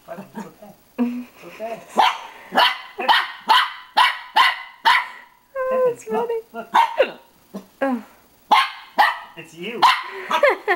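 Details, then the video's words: Dog barking at his reflection in a mirror, a rapid irregular run of sharp barks mixed with whiny yelps, while a person talks to him in between. "barking at himself in mirror"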